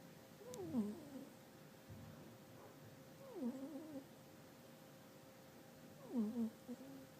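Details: A pet cat named Nyaos snoring in its sleep: three descending, squeaky whistle-like snores, each about half a second long, come roughly every two and a half seconds over a steady low indoor hum.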